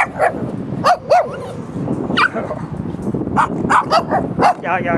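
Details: Several puppies yip in short sharp bursts, a pair of high squeaky notes near the first second and more scattered yelps later, over a busy background of rustling and murmuring.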